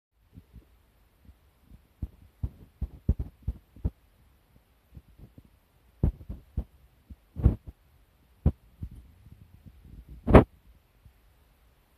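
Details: Scattered soft thumps and sharp clicks in a quiet indoor space, irregularly spaced, with no calls or other animal voices.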